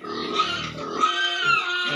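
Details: Pigs at Nikunja Piggery, a harmonic squeal held through two seconds, with pitch wavering and a few low grunting pulses underneath.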